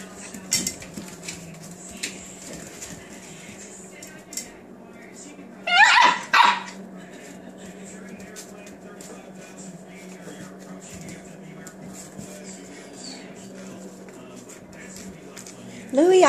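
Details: Seven-week-old Australian Shepherd puppies at play indoors; a pair of high, harmonic yelping barks bursts out midway and another sounds at the very end, while a person chats to the litter throughout over a steady low hum.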